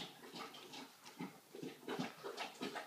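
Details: Feeding-time sounds from three-week-old puppies: a chain of short, snuffling grunts and small squeals that grows busier toward the end, with soft wet mouth noises and rustling.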